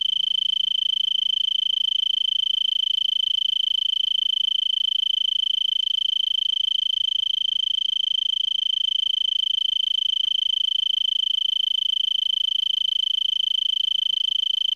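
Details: Tree cricket singing from a brittlebush in Vail, Pima County, Arizona, late afternoon of December 26, 2022, at 3300 ft and roughly 70 degrees F: a continuous, even, high-pitched trill holding one steady tone throughout, nothing else audible.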